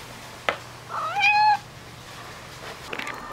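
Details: Shio-chan, a talking pet cat, playing a dash game with her owner and gradually tiring of it; after a sharp click comes one clear meow, rising then sliding down and held for about half a second, in a quiet room.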